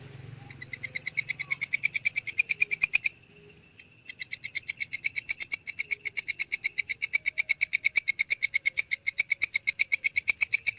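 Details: Walang kecek grasshopper, offered as tutor material for songbirds, producing rapid high raspy pulses, roughly three each second, that stop for about a second partway through and then resume at the same brisk pace.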